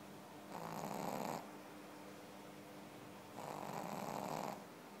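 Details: A Pekingese asleep and snoring: two drawn-out, wheezy, hissing breaths about three seconds apart, each close to a second long, in a quiet room.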